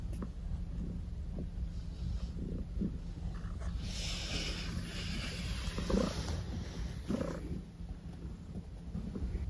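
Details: Pet cat named Maple purring indoors: a low, rough, continuous rumble that swells and fades in rhythmic cycles, with a few brief rustling touches and a faint steady hum underneath.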